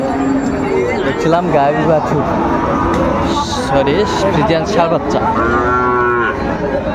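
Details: At Raniganj haat on 28 August 2024, with Friesian and cross-breed bull calves for sale. A single rich moo swells near the end of the clip, set against a dense background of human voices and market bustle.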